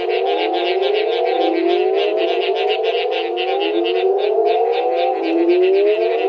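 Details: Mexican burrowing toad (Rhinophrynus dorsalis), call.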